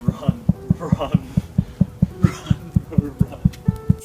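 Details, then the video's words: A leopard seal gives a fast run of deep, throbbing pulses, about two each second, described as the terrifying sound leopard seals make before attacking their prey. "Ce que tu viens d'entendre et de voir, c'est tout simplement le son terrifiant que font les Léopard de mer avant de défoncer leurs proies."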